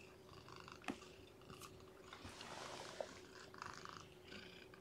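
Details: Lethargic, underweight newborn kitten with no littermates to burrow into, being fed and warmed by hand; faint, thin, high mews in short bursts near the start and again toward the end, with soft handling noises in a quiet room.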